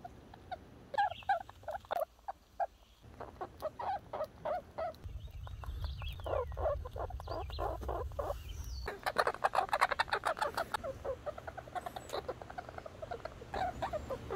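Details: Red squirrel Little Red chattering in long, fast runs of squeaky chirps, several per second, broken by short pauses, with patches of low rumbling noise in places.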